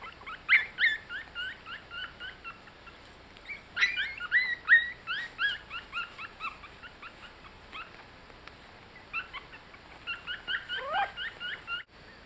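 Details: Yorkshire Terrier puppies, 18 days old and just learning to walk, give many short high squeaking whimpers, often rising then falling, in quick uneven bursts with brief pauses, over a quiet indoor background.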